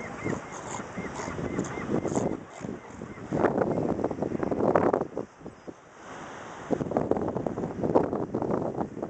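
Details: Sea lion colony at the port of Necochea-Quequén, Buenos Aires Province, Argentina: rough, throaty barks come in clustered bursts, some rapid and overlapping, with pauses between, over steady wind noise.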